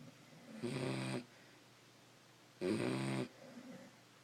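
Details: Sleeping Beagles snoring: two rough, breathy snores about two seconds apart, each lasting roughly half a second, with quiet breathing between them in a calm room.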